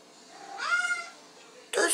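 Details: Thirsty female pet cat Halie asks to drink from the sink during the night. A single clear, tonal meow lasts about half a second, followed by a burst of French speech from a person asking if she is thirsty.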